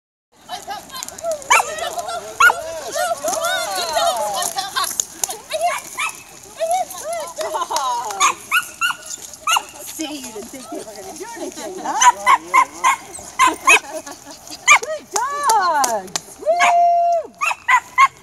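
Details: Samoyeds at a sled-dog pulling clinic at a dog museum on Sunday, March 26th, being fitted with harnesses and hooked up to pull: excited, yodel-like whines rising and falling, then bursts of sharp barks toward the end, with people talking.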